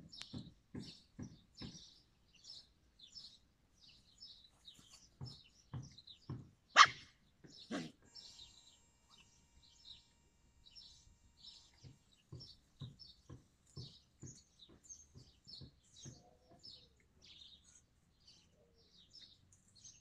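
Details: Yakutian Laika recorded in July 2020, giving short sharp barks in quick bursts of three to five, spaced by pauses, with a louder yelp near the middle, while small birds chirp and twitter steadily in the background.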